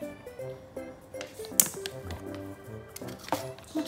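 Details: Light music plays over tapping, squishing and tearing noises in a small room, with a brief sharp crackle; no animal voice is heard.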